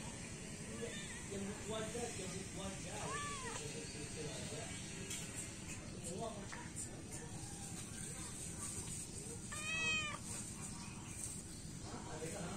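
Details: Feral cats, three adults and a kitten, being fed in the morning: a few arched, rising-then-falling meows, one near the start and a brighter one later, over steady background hiss with people talking.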